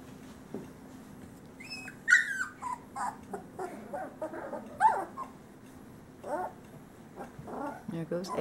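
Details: Great Pyrenees male pups of a summer 2013 litter out of Bella and Ranger give scattered squeaky whines and brief yips, some sliding downward, with a person's voice heard between them and a low steady hum.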